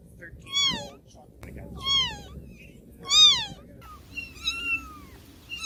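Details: High, arching meows from newborn baby kittens come every second or so. The last cry is longer and flatter, with faint low rumble beneath.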